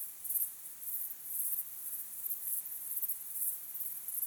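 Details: Crickets chirping at sunset under an evening sky: very high, thin chirps come in quick bursts about twice a second, soft and steady, with little else heard.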